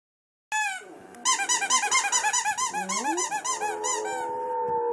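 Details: A male Boxer howls along with a rapid run of high, arching squeaks from a squeaky toy.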